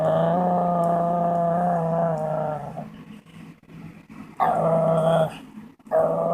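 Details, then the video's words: Pet dog making odd noises while pulling silly faces; a long harmonic whining howl for nearly three seconds, then quieter grumbles and two more loud nasal whine bursts near the end. "This dog makes crazy noises"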